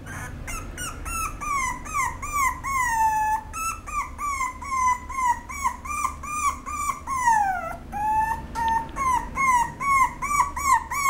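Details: Female apricot Toy Poodle giving a long series of high, whistly whines, each arching up and falling, about two to three a second, with one drawn-out descending whine midway; steady low hum underneath.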